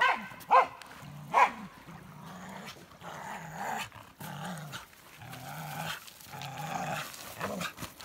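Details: Elsa, a Norwegian Elkhound, playing with sticks on the beach: two sharp barks early on, then low, rumbling play growls in short bursts throughout, with faint rustling.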